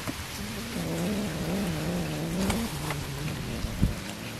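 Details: Cat being fed fish gives a single low, drawn-out meow lasting about two seconds, its pitch wavering slightly before trailing off, with steady rain pattering throughout and a few sharp drips.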